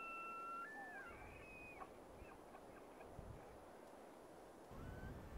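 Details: Tule elk in the rut at Point Reyes National Seashore: the end of a high whistled bugle held steady, then stepping down, followed by soft grunting chuckles over wind and surf-like rumble.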